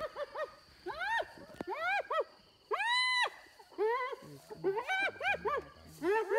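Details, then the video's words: Hyenas fighting over an impala carcass stolen from the leopard Little Bush and her cub, near Selati Camp: bursts of rising-and-falling, harmonic-rich giggling cries, several in quick succession, with loud arched squeals around the middle. "Hyena steals leopard kill"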